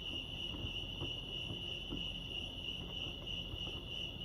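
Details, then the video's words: Cricket chorus at Lake Arrowhead, California, a constant shrill trill at a single high pitch, with scattered soft low knocks and rumble behind it. "Serenity sounds crickets chirping lake arrowhead"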